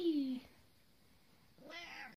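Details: A nine-year-old female pet cat chatting during her before-bed roll around, giving a short falling meow, then after a quiet pause a second harmonic-rich meow; a person speaks softly around her.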